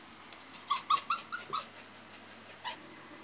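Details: Female toy poodle frightened by fireworks sounds, giving a quick series of about five short, high, tonal whimpering yelps within a second, then one more whine after a pause, over quiet room background.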